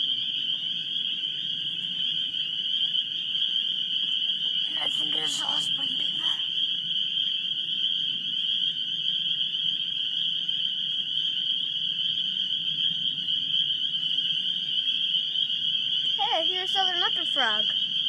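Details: A dense chorus of spring peepers, probably mixed with wood frogs, forms a constant shrill ringing of overlapping peeps at Great Swamp NWR on March 14 after work, on an unseasonably warm day.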